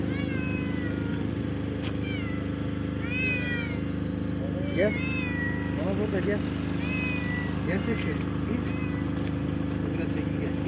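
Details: Cats outdoors giving repeated short and long meows, some wavering, scattered through the clip, over constant low vehicle drone, with human voices in the background.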